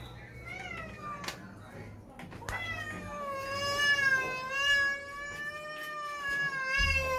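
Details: Pet cat, angry at its shower day after a typhoon, gives a short meow and then a long, drawn-out, wavering yowl lasting about four seconds, steady in pitch with a slight fall at the end; a low indoor hum underneath.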